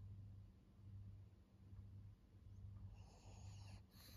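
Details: Low, buzzing snores from an elderly fawn female pug, aged fourteen, in Japan, repeating roughly every second in an even pattern, with a faint rustle near the end.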